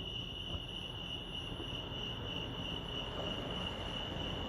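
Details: Crickets at Lake Arrowhead in California keep up a constant shrill pulsing trill, partly masked by a stronger low rumble underneath.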